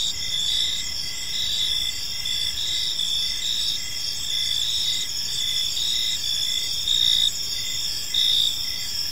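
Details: Crickets chirping as evening falls over a serene park: continuous high buzzing trills from many callers, brief louder pulses near the end, low soft hiss underneath.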